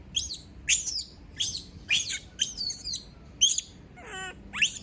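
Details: A female monkey cries out when everyone leaves her alone. Her sharp, very high shrieks come roughly once a second, each a short falling squeal, with one lower buzzy, ringing note near the end.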